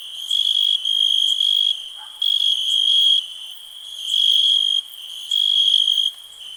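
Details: A cricket calls in bursts of high, bright trilling, each about a second long, with short quieter gaps between, set against a constant thin insect hum.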